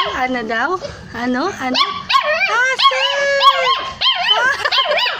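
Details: Street puppies, hungry and searching for their mother, keep up quick arching whimpers that rise and fall, layered from several pups. One steadier whine is held for about a second midway.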